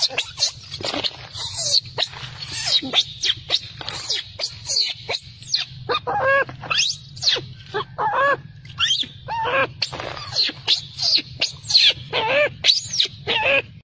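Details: Furious baby macaque, its mother refusing to nurse, screams loudly and almost without pause: rasping broadband shrieks mixed with brief tonal wails, pulsing roughly twice a second over a low hum.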